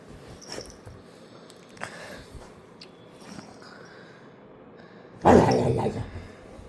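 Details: Labrador Retriever playing indoors with a person hidden under a blanket. Quiet rustling and soft breathing come first, then one short, loud, rough bark-growl burst near the end.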